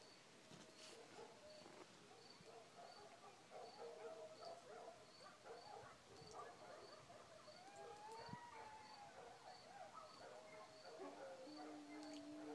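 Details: Coyotes yipping in pitch-black night around 2:30 am near a village, village dogs howling in response; a tangle of overlapping wavering yips and quavering howls, with steady rapid cricket pulses high above throughout.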